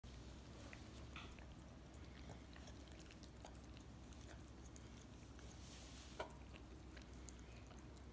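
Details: Miniature Australian Shepherd puppy indoors in a small room, licking peanut butter off a foot; soft wet smacking and clicking licks scattered through the recording over a steady low hum, with a brief spoken remark to the dog.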